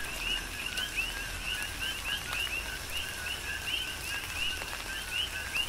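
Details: Chorus of coqui frogs in a tropical downpour on Hawaii's Big Island: repeated high, brief two-note chirps rising in pitch, overlapping from many frogs, beneath a steady wash of rain and dripping water.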